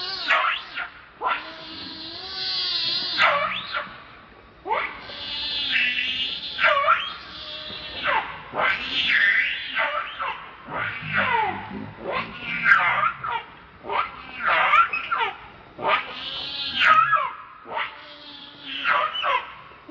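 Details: Angry monkey Rainbow defends Lucie against Kachoy with a rapid run of shrill, wavering screeches, one after another with brief gaps, strongly harmonic and piercing throughout.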